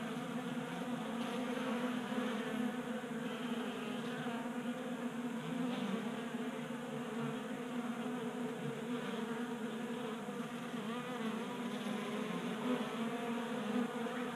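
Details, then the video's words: A swarm of honey bees feeding from a 3D printed tray in a Colorado garage in January, burning winter fat stores in the late heat; an unbroken layered buzzing hum, swelling slightly as bees come and go. "Honey Bees Feasting from 3D Printed Bee Feeder ASMR"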